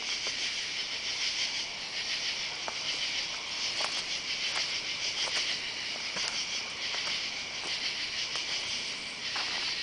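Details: Katydids calling on a summer night, July 31, under oak trees in a yard while someone walks along; a dense, rasping high-pitched chorus of pulsed bursts overlaps continuously, with faint clicking ticks scattered through.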